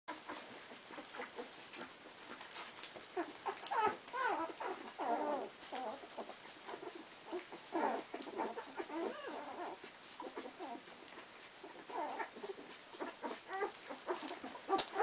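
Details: Cardigan Welsh Corgi puppies, 15 days old, chasing a milk bar: a litter of overlapping high squeaky squeals and grunts in bursts, with soft rustling and shuffling throughout.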